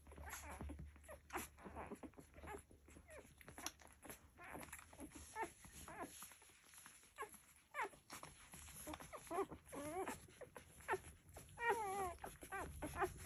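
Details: Litter of Labrador Retriever puppies nursing, with scattered soft clicks and suckling sounds, then louder wavering whimpers and squeaky whines building toward the end, one sharp high quavering squeal near the close.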